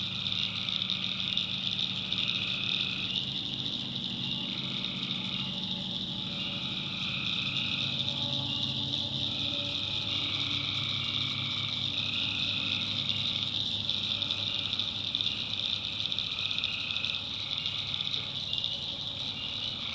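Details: Night chorus of tree frogs in a North Carolina backwoods swamp. A constant shrill buzz runs throughout while lower droning tones start and stop every couple of seconds, layered over a soft distant hum.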